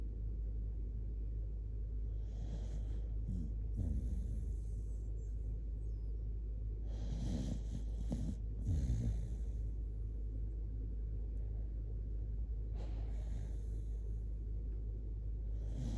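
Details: Sleeping Shiba Inu Kotetsu, curled up close, breathes in heavy snorting snores at irregular intervals of several seconds, raspy and nasal, against a constant low background drone.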